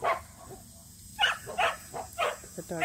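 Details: Samoyed at a local match show, entered for the first time: a run of short, rough barks comes in quick succession through the middle, with people talking nearby at the start and end.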